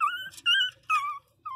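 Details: Small pinscher dog whining in high, whistled cries: three short, slightly wavering notes within under two seconds, with a fourth starting at the end.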